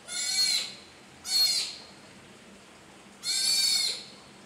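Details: Orphaned female southern sea otter pup, newly arrived at Shedd Aquarium: three piercing, high harmonic squeals, each under a second long, separated by quiet pauses.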